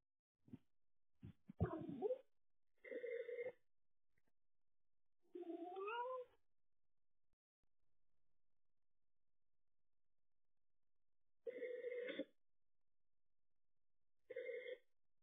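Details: Pet cat, Stan or Olive, filmed by a home cat camera over the night of 12–13 July 2023, meows repeatedly: a few clicks, then drawn, wavering cries, some rising and bending, spaced by pauses with a long silent gap midway.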